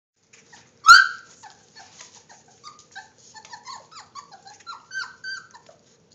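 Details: Basset Hound puppies, three weeks old, at lunchtime: one sharp loud yelp, then a steady scatter of soft high squeaks and whimpers from several pups, with faint suckling-like clicks, recorded on a phone.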